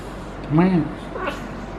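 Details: Feral female cat in heat, caterwauling while being petted. A single short, low, arching moan rises and falls, with a fainter, higher cry just after, over a steady low hum.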